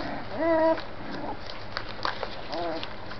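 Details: Jazmen's puppies at five weeks old give two short harmonic whines, rising then falling, about two seconds apart, with soft rustling and light knocks between them.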